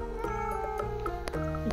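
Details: A female Russian Blue cat gives short, insistent meows over steady background music, protesting as her owners leave; she usually protests like this when hungry.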